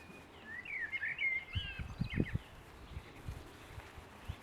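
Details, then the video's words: Boston Terrier puppies at six weeks whimper in a quick cluster of high, wavering squeaks during the first second and a half, then a few fainter squeals, over soft low thumps and background noise. "boston puppies 6 weeks"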